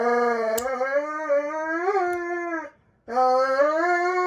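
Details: Loud, sustained howling from Roman the Dobermann during his once-a-year nail clipping at home. A long, steady, slightly rising cry breaks off briefly, then a second howl starts again at the same pitch.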